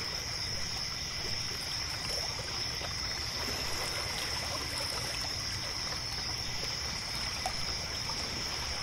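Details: Night-time crickets beside a lake make a continuous shrill, even trill with a softer lower band, heard through steady gurgling and trickling water near a pier.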